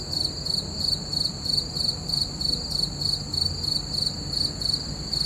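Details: Night chorus of crickets beneath a full moon, a bright high-pitched pulsing chirp repeating rapidly and evenly over a soft low background hum.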